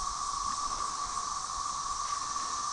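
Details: A dense chorus of Brood XIX tredecim periodical cicadas, with M. tredecula in the background, at Tyler Bend Park on the Buffalo River, northern Arkansas, on May 30, 2011, forms a steady, droning hum at one even pitch.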